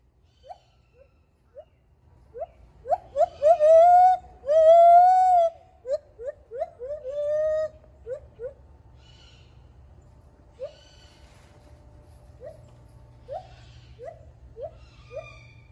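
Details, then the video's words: First singing attempts of a baby gibbon at Dade City's Wild Things: scattered soft rising hoots build into rapid yelps and two drawn-out wails, then a quick string of hoots fading to sparse, quieter upward notes over steady low hum. "Cutest Baby Gibbon learning to Sing"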